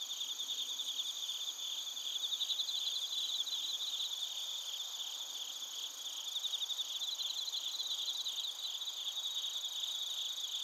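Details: A chorus of crickets and bell crickets in Narita, Chiba Prefecture, Japan, recorded with a TASCAM Portacapture X8. Shrill, continuous trilling fills two high bands, with bursts of faster pulsed chirps swelling and fading over ten seconds.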